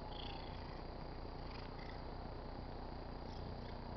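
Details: Domestic tabby cat, a household pet, purring as it rubs on a car antenna: continuous low, rapidly pulsing rumble throughout, with faint scraping touches at higher pitch.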